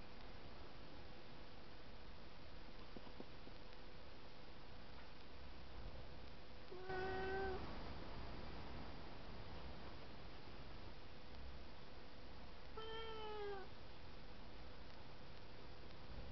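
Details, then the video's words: Two domestic cats fighting, one attacking the other perched up high; two short, sharp, harmonic meows, the first falling, the second a little later, over a steady low room hum. "Tower Fight"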